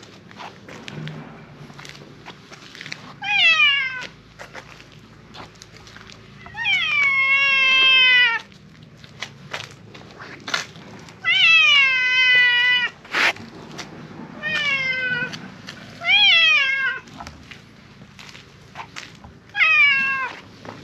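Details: Loud, insistent meowing from a silver tabby cat that seems to be asking for something. About seven meows come at uneven intervals, each bright and falling in pitch, some longer and wavering, over quiet background clicks.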